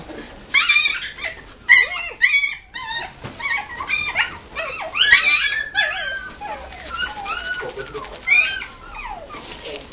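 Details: Several long-haired Chihuahua puppies in a pet shop in Nagoya, Japan, giving high, wavering whimpers and short yips that overlap one another, with human voices in the background.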